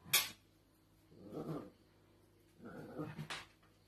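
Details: Dachshund puppies at play: a sharp click at the start, then two low, rumbling growls, each about half a second long and a second apart, over a quiet indoor background.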